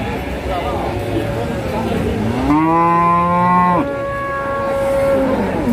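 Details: Tired cattle at the Pati Wage cattle market after a long journey in a truck; a loud moo rises and then holds level for over a second, followed by a lower, fading moo over a murmur of market crowd noise.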